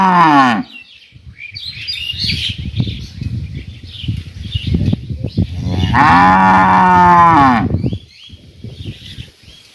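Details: Cattle in a village in summer: a moo fading out at the start, then soft rustling and a few faint bird chirps, then a full, loud moo of nearly two seconds with a falling end, more chirps after.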